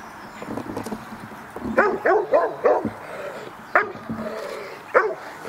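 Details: Dog barking during protection work at the NIK 2016 dog sport trial; a burst of sharp, quick barks in the middle, then single barks spaced about a second apart over a noisy, crowd-like background.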